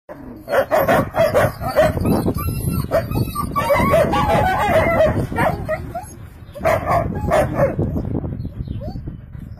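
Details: Two long-haired German Shepherd puppies, four months old, give short rough barks and yelps in uneven bursts, busiest in the first three seconds and again near the seventh second, with some background noise.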